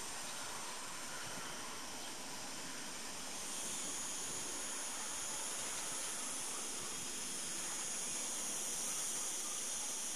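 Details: Chorus of cicadas singing on a morning, 26 August 2012, behind the petrol station at Cortijo de Marín, Almería, where they feed on agave sap: a dense, continuous high-pitched hissing drone that swells slightly after three seconds and never pauses.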